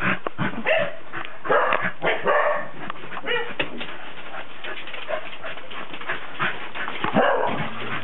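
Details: Cardigan Welsh Corgi, 19 December 2008, with scattered barks and whiny yelps, louder clusters early on and near the end, quieter patter of shorter sounds in between.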